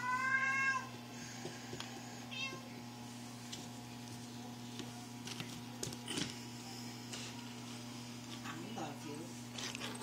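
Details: Toyger kitten, eight weeks old, playing indoors: one loud, clear, harmonic meow at the very start, followed by quiet rustling and small knocks over a steady low electrical hum.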